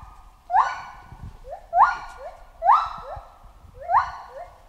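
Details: Chimpanzee calling in a jungle: about four loud rising hoots, each followed by a softer, lower hoot, roughly one pair every second. A continuous mid-pitched drone and scattered low knocks run underneath.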